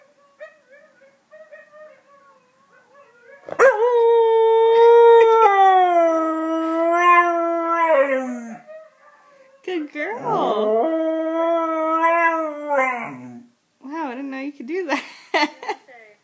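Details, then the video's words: Halo, a 1-year-old female Husky, howling for her first time after hearing recordings of other huskies: faint quiet notes lead into two long sustained howls, the first wavering and dropping, then short yodelling howls with brief human voice between. "Howling for the First Time!!!"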